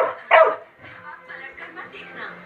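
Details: Angry Labrador Retriever lets out one sharp bark early on, followed by a woman's voice speaking in Hindi telling it to go back.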